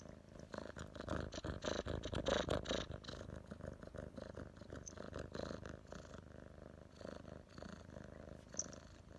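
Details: Domestic cat named Thomas (湯瑪) purring, recorded 2019.10.23: a steady low rumbling purr with rapid pulsing, loudest in the first half, plus faint clicks and a sharp tick near the end.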